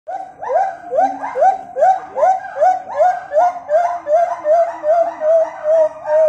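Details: A Javan langur (Trachypithecus auratus) gives a steady series of hoarse, laugh-like calls, about two or three each second.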